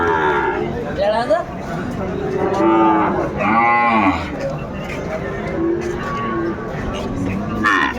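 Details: Sahiwal bull calves at a cattle market in Dhaka, Bangladesh, on 3 February 2025, lowing with long harmonic moos that rise and fall, several overlapping, amid crowd chatter and men's voices.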